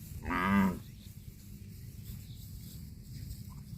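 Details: Cow eating grass gives a single short, loud moo of about half a second with a rich harmonic tone, followed by quiet low background rumble.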